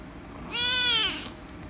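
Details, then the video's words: Rescue kitten, angry at being petted, gives a single loud meow of about half a second, rich in harmonics, holding steady and then falling slightly at the end; faint room noise behind. "The Rescue Kitten Angry And Meowing Loudly If I Pet Her - Cats Meowing"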